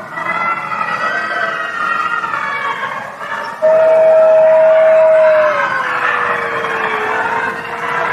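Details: Howling female gray wolf, Wolf Conservation Center, South Salem, New York; a dense wash of layered tones fills the background before a clear, loud howl enters, holds steady, then slides gently lower and trails on.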